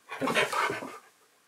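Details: Pet husky Keyush argues with his owner during an indoor filming session: one brief, harmonic, moaning vocalisation of about a second, rising then trailing off, right after a spoken command to speak.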